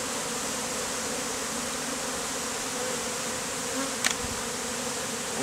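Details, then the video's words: Honey bees, a swarm hived out of a statue, gathering on a man to form a bee beard in the heat; a steady, dense droning hum with a low even tone throughout and a short sharp click near the end. "BEARD OF Honey BEES"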